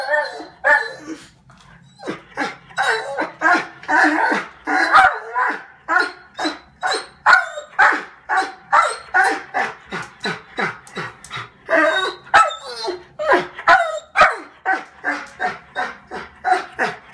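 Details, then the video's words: German Shorthaired Pointer named Adenine, about five years old, barking indoors while taunted by birds on a skylight; rapid, steady run of sharp barks at roughly two per second, some with higher yelping edges, continuing throughout. "German Shorthaired Pointer Dog Taunted by Birds"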